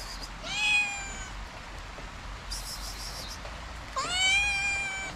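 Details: A hungry abandoned kitten in Morocco, hesitant to approach a person, gives two clear, bright meows that start with a quick rise and then hold steady, over soft outdoor background noise.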